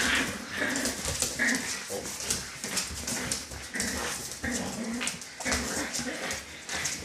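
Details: A dog litter with repeated thin, squeaky puppy whines through constant scrabbling and clicking noise, several short whimpers spread across the stretch.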